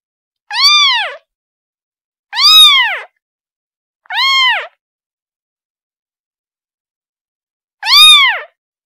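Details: A kitten cries out for its mother with four arched, rising-then-falling meows, three close together and then a pause before the last, in an otherwise silent background.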